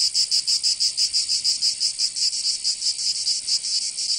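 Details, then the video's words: Summer cicada chorus from Provence in the south of France. Shrill, buzzy rasping beats in quick regular waves, roughly five a second, over a constant high hiss. "Canto Cigarra"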